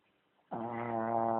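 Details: Charlie the dog snores: a sudden, loud, low buzzing drone that starts abruptly and holds steady until the end, cut off mid-breath.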